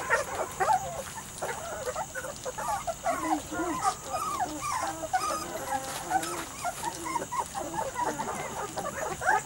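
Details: Litter of Weimaraner and Vizsla cross puppies aged three to four weeks, whining and whimpering continuously in overlapping short wavering calls, several pups at once, with a steady background hiss.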